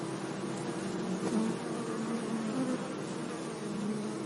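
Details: Low, droning buzz of bees gently foraging among flowers in a sunny meadow, wavering slightly in pitch over a soft, steady background hiss.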